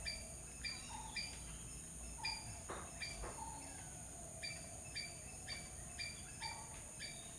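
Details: A squirrel gives quick clipped chip notes, often in close pairs, with occasional lower soft notes and a brief thud near the middle, all against a constant high insect drone.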